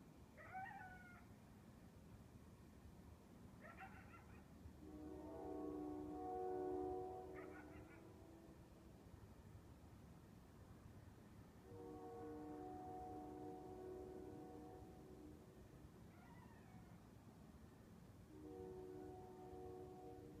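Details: A lone coyote (Canis latrans) gives brief, wavering yelps at 2 AM on a balmy, windless summer night. The yelps are broken up by the long droning chord of a freight train horn.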